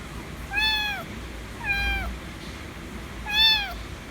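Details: Demanding affection, a white kitten gives three loud meows in about four seconds, each a slightly falling, harmonic cry, the last the strongest.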